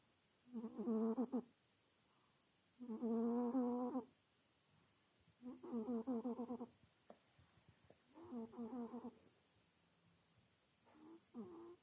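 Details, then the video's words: Domestic cat snoring while asleep: four long, rasping harmonic breaths about a second each, repeated roughly every two and a half seconds, then a shorter fifth snort; otherwise quiet indoors. "Храпящий кот.snoring cat"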